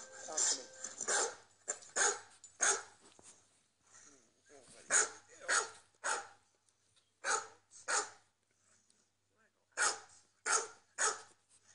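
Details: Domestic dogs barking on a recording played from a computer while a pet dog watches indoors; sharp, harsh barks in irregular bursts, roughly a dozen over twelve seconds, some doubled, with brief gaps between clusters.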